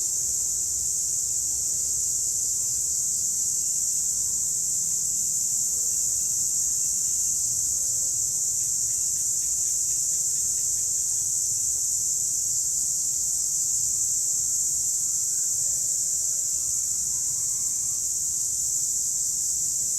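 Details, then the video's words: Wild cicadas give an unbroken, shrill, even buzz that stays at one pitch and loudness throughout, with a few faint soft clicks partway through and a quiet low rumble beneath. "Cicadas Sound Effect"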